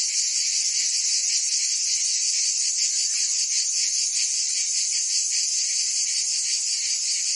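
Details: Cicadas singing in summer in Provence, France: a dense, continuous high buzzing chorus, steady in loudness, with faint rapid pulsing throughout and no other sounds.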